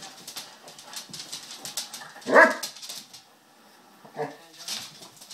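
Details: Two 2-year-old basset hounds, Roxy and Dolly, one a rescue, playing indoors; a loud single bark stands out midway, followed by a shorter yelp and softer whines, with light clicks and household noise around them.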